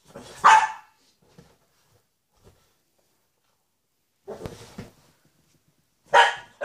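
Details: Shih Tzu barking indoors at a reunion of Louis with his mother Lacey after seven months apart; a sharp bark near the start, a rougher burst mid-clip and another loud bark at the end, with quiet gaps between.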